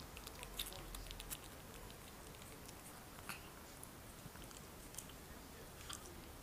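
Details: Shih Tzu puppies Tereza and Diamantis drinking milk: soft, irregular wet smacks and clicks come in quick clusters, with louder ticks near the start and end, over a low steady hum.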